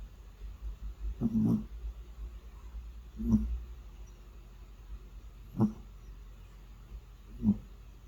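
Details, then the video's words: Domestic cat asleep indoors, snoring: short, rough, low snorts come every two seconds or so, four in all, with a steady low hum underneath. "코골며 잠자는 고양이 Sleeping Snoring Cat"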